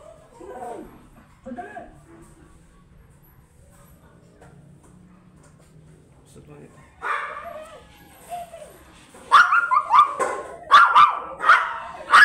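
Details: Blue Miniature Pinscher offered for stud service at Manaoag, Pangasinan; quiet talking and soft noises first, then a burst of sharp, high barks in quick succession over the last few seconds.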